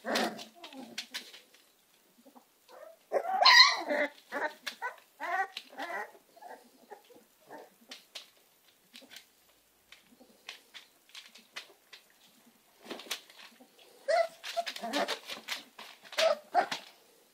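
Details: Young American Staffordshire Terriers give clusters of sharp yips and squeaky whines, bursts separated by quiet gaps, with scraping and soft knocking between.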